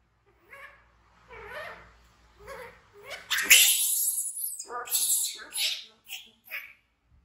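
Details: Frightened infant baby monkey named Bean, an orphan picked up from the jungle by villagers, screaming and running to hug a companion; harsh broadband shrieks building into loud repeated screams, with short softer cries before.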